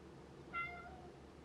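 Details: A male American Curl cat, born May 2019, gives one brief, high, tonal meow that slides slightly downward and fades quickly, crying like a baby as if it thinks it is one.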